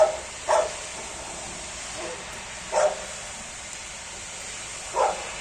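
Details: Labradors playing outdoors on a rainy day; three short, mid-pitched barks spaced about two and a quarter seconds apart over a steady hiss of rain.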